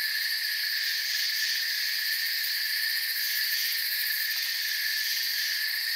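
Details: An unbroken forest cricket chorus: high, even trills stacked at several pitches, a finely pulsed shimmer at the very top, constant volume, no birds, wind or people.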